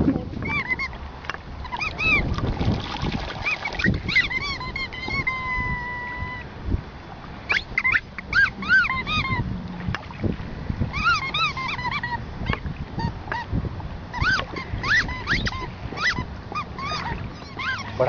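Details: Cocker spaniel named Emo meeting the sea for the first time. Repeated excited whines, some rising and falling, some held as long flat tones, come in bursts over wave noise, with Greek voices cheering.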